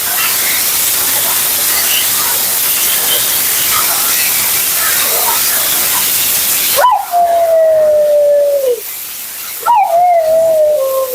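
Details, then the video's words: Constant hiss of a grooming blower fills the opening seconds, then Mila, a vocal female Siberian Husky at her second-ever groom, cuts in with two clear howls that jump up and glide downward. "Talking Husky FURNADO Bath and Blowout"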